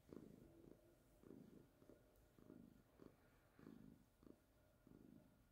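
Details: A calico cat named Baby purrs in soft, regular waves. Each low, rattling pulse lasts about half a second with brief gaps between, and a faint steady hum sits in the background.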